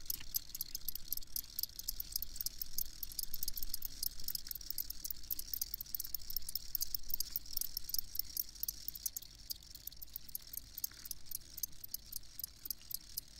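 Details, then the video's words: Many crickets chirp together in a high, rapidly pulsing stream that stays even throughout, over a faint low rumble. "Crickets Chirping"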